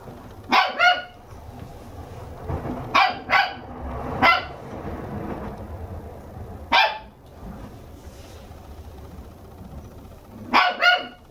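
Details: Red female Toy Poodle puppy, two months old, kept indoors in Arakawa, Tokyo. Its sharp yappy barks come in quick doubles, repeated five times over about eleven seconds, with brief quiet gaps between them.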